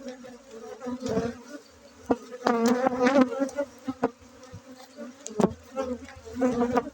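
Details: Honey bees buzzing during a honey harvest at a honey bee breeding site in Bener Meriah, Aceh, on Monday 7 August 2023; a steady low drone with sharp knocks and handling clicks rising over it.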